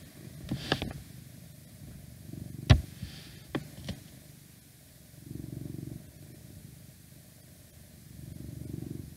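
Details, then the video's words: Domestic cat purring, recorded indoors for a whispered ASMR request: low rumbling purr rising in soft surges about every three seconds, with a few sharp taps and clicks early on and faint outside noise. "Cat Purring"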